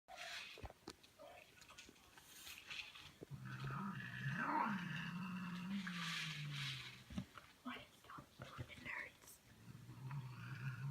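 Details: A new cat meeting an old cat: a low, sustained growl runs for several seconds, swelling and rising briefly near its middle, with fainter higher yowling tones and scattered background noises.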